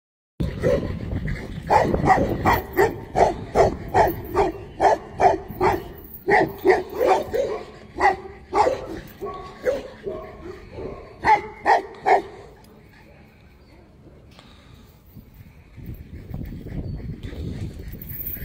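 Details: Tibetan Mastiff barking loudly and deep, a steady run of about twenty barks roughly every half second, pausing briefly midway, then falling quiet with low rumbling noise near the end.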